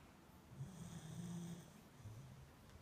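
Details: Low drawn-out snore from a sleeping beagle indoors, one long rumbling breath over about a second, then a shorter softer snore, airy hiss above.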